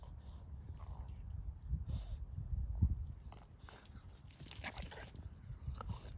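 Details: A male Boston Terrier gives low, throaty growls in uneven rumbling bursts while playing tug with his owner's foot, with soft scuffling and handling noises mixed in.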